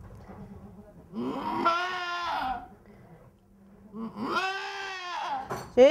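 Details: Poitevine goat giving birth to kids, loud wavering bleats with strong harmonics, two long cries about three seconds apart, with a woman's soft speech and low murmurs between them.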